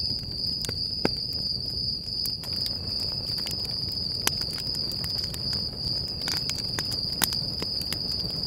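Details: Crickets beside a campfire at Stoney Creek Campground, Sequoia National Park, California: a steady, high, unbroken shrill trill throughout, with sharp crackles and pops from the burning fire scattered across it.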